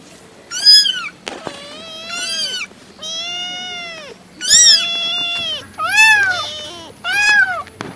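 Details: Cat meowing insistently, mixing short rising-falling meows with longer, flatter drawn-out ones, about seven calls in eight seconds, some bright and high, with a faint hum underneath.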